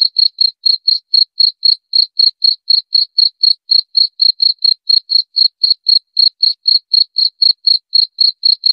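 A cricket gives steady, high, pure chirps, about four every second, with nothing else heard.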